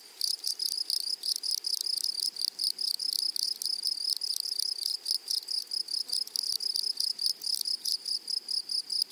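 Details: Grasshoppers stridulating in a flowering meadow, a thin, high, sizzling chirr of fast pulses, nearly continuous, with faint irregular breaks and nothing else audible.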